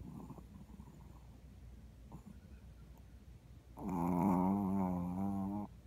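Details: Sleeping Shih Tzu, a seven-year-old neutered male recovering from surgery in foster care, gives one drawn-out, low, buzzy snore of about two seconds after a stretch of faint, quiet breathing in a small room.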